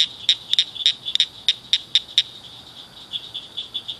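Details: Frogs calling at night in a culvert by a ditch, where several gathered after one lone caller: irregular bright clicking chirps, some doubled, fading into a continuous high ringing chorus.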